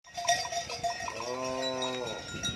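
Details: White, tame cows herded across a beach at a livestock farm; opening bell-like metallic clinks, then one low, steady, harmonic-rich moo lasting about a second, followed by faint rustling.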